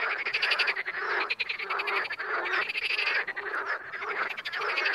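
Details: Wild frogs croaking in a crowded chorus, fast pulsed rattles rising and falling in loudness with brief lulls between swells.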